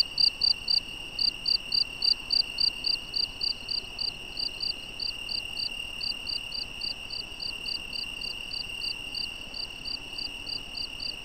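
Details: Crickets chirping at night behind a wild European badger recording: rapid, regular high chirps repeated several times per second, over a steady high whine and soft background hiss.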